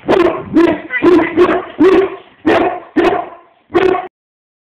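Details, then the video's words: Bulldog reacting with displeasure to being zerberted, giving a rapid run of about eight short, harsh, yappy barks over four seconds, each bark abrupt and rough, ending in silence. "Bulldogs do not like Zerburts!"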